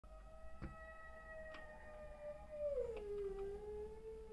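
A German Spitz holds a sustained, tonal howl at a fairly even pitch, then bends it lower and lets it trail off. A few faint knocks sound in the background.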